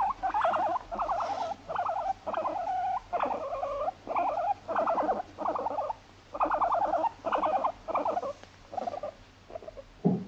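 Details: At home in an apartment, female Abyssinian guinea pig Moru-chan, born 29 November 2017, keeps up everyday chatter: a steady series of trembling, vibrato squeaks in half-second bursts with short pauses between them.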